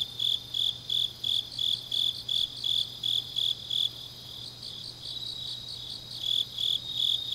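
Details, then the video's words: Late-night autumn grass insects from Changnyeong in South Korea's Gyeongnam province: rhythmic high chirps pulse steadily, fade briefly near the middle, then resume, with a second fainter caller overlapping and a low background hum. "깊은밤 가을 풀벌레 소리"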